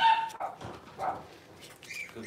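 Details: Six-week-old Cavalier King Charles Spaniel puppies being dewormed and getting toenails trimmed: a high whine at the start, then short yelping cries and a rising squeal, with handling noise.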